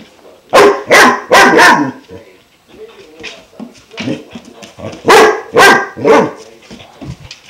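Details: Five-month-old German Shepherd puppy barking at a new water buffalo horn, kept up for twenty minutes before chewing it; two bursts of three loud, harsh barks separated by softer huffs and quiet rustling.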